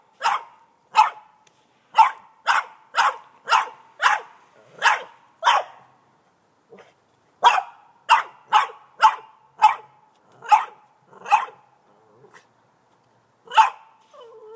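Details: Eighteen-month-old Boston Terrier barking frantically at a snow shovel, phone recording; rapid bursts of sharp barks, a run of nine, a pause, then eight more, and a last single bark.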